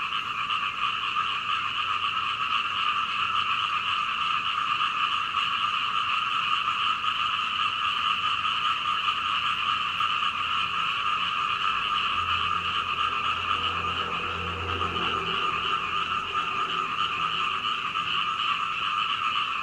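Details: Night-long frog chorus outside a second-floor home window in Hunei, Kaohsiung, Taiwan, captured with a Canon PowerShot SX720HS; continuous overlapping croaking at even loudness, with a faint low rumble passing midway.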